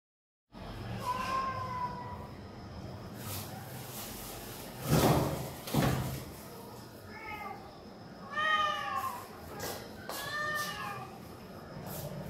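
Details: Hungry homeless cats calling loudly for food in the morning before being fed boiled chicken; several drawn-out harmonic meows with rising and falling pitch, scattered through the clip, over background noise with a few thumps and knocks.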